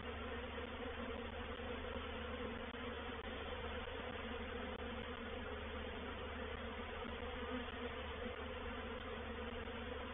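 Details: Constant, even-pitched humming of a reproductive swarm of honey bees settling into a bait hive at Painted Peacock Manor, 04/07/21, with a low rumble beneath and occasional faint ticks.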